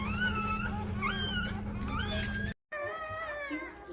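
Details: Newborn Golden Retriever puppies from Rosie's litter of twelve, born 4/25/23, indoors. Thin, high squeals bend up and down, overlapping with a steady low electrical hum and a brief dropout near the end.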